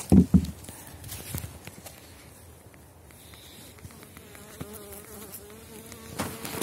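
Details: Elgon bee colony in an opened hive in spring 2019, emerging strong from winter across seven seams of widened Warsaw frames, fondant untouched; low steady humming buzz with handling knocks and rustles, louder thumps at start and end.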